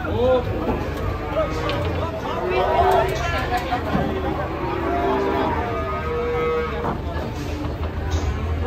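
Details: Raging cattle in Indonesia bellowing repeatedly: curved, wavering moos overlap one another amid shouting and general commotion from people close by.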